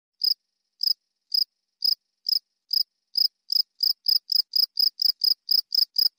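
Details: Cricket chirping in a compilation meant for training songbirds: short bright pulsed chirps, spaced about half a second apart at first, then speeding up to a quicker steady run, with no other sounds.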